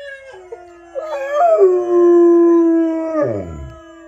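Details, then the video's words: A single long howl from Mylo, a household Rottweiler responding to other dogs howling; it starts softly, swells into a steady flat tone held about two seconds, then falls away in a growly downward slide. "Rottweiler Howling"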